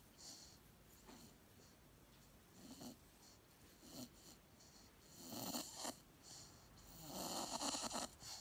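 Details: A sleeping Staffordshire Bull Terrier puppy on a couch, dreaming with eyes half open, gives soft, muffled woofs and breathy huffs in short bursts.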